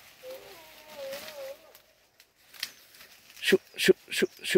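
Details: Hunting dogs barking in a forest: a thin wavering whine early on, then four loud, evenly spaced barks about a third of a second apart toward the end, with faint voices and outdoor rustle between.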